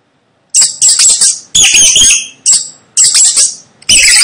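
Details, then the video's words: Piercing rat squeaks follow a half-second pause, arriving as repeated shrill bursts of uneven length, the last cut off at the end. "Tiếng chuột kêu Hình ảnh và tiếng kêu con chuột"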